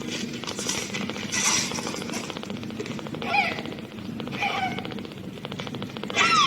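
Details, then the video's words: Munchkin kitten, eight days old, purring for the first time: a steady rapid pulsing throb runs throughout, broken by a few thin, high, squeaky mews near the middle and again at the end. "Baby Kitten First Purring Is Adorable - Baby Kittens Growing Up Day 8"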